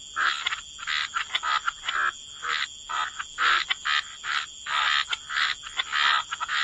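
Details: Croaking frogs in wetland, giving distinct raspy bursts of about half a second, separated by short quiet gaps, with several calls layered.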